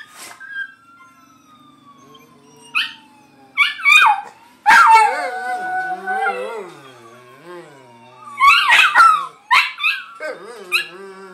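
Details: Johnny Rotten, a pet Miniature Pinscher/Chihuahua mix, reacts to Grand Theft Auto sirens with short sharp yips and wobbling, wavering howls, while a falling siren sweep continues underneath.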